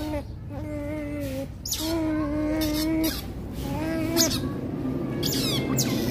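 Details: Baby Rottweilers in a play fight, letting out level, drawn-out whimpers broken by brief sharp squeaks, with a continuous low drone underneath.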